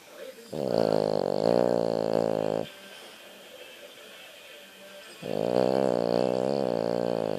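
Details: Sleeping French Bulldog snoring: two long, loud, rasping drawn breaths with a buzzy, throaty tone, separated by a quieter pause of about two and a half seconds.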